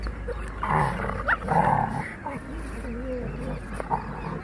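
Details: Labrador puppy and rottweiler fighting: rough rasping growls with a wavering, whine-like tone beneath, broken by short sharp yelps, over a steady low hum and background voices.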